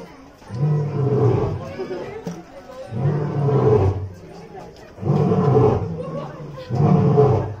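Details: A male white lion born in 2016 roars at an Okinawa zoo during a Halloween night event on 31 October 2020, after licking concrete and not as a threat. He gives deep, drawn-out rumbling roars, each lasting over a second, repeated with short pauses.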